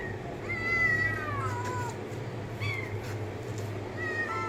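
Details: Cat giving clear drawn-out meows, each sliding downward in pitch with strong overtones, three calls spaced over about four seconds, over a steady low electrical hum.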